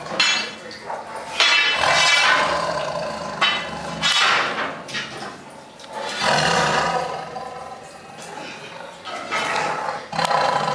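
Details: Tiger Krishna in a run of repeated coarse roaring bursts, some short and some drawn out, with faint human voices mixed in between the calls.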